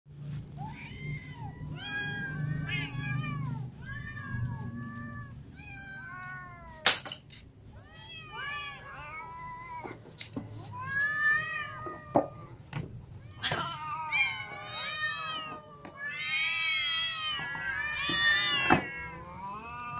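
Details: Ginger cat with little cats and adult cats meowing because they are hungry; many overlapping harmonic meows, rising and falling, some high kitten cries, with a low background hum and a few sharp knocks.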